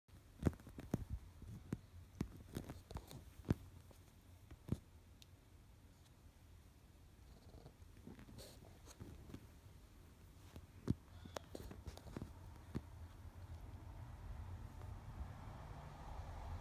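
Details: An Egyptian Mau kitten playing on a couch purrs low and steadily beneath sharp rustles and taps.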